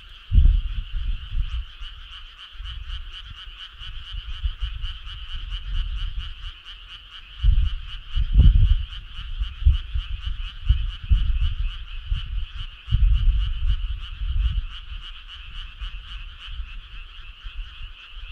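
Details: Many frogs chorusing on a summer night: an unbroken, fast-pulsed trill held at an even level, punctuated by several loud low thuds and rumbles.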